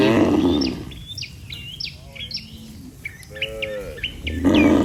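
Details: Cattle walking as a herd toward their barn under a herder's care: low moos open and close the recording with a softer one in between, while sharp, repeated bird chirps dominate the quieter middle.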